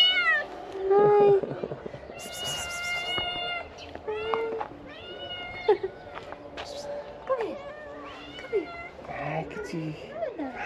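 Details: Stray ginger kittens, a large family, hurrying toward their food box and calling: a rapid string of clear, insistent meows, some high and wavering, others short and bent, with a person's voice talking to them between calls.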